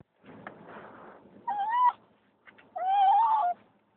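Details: A female dog, rescued from the streets in Turkey, gives two rising, wavering, whiny yelps after softer rustling. It is her excited crying sound when the car slows down as she arrives home.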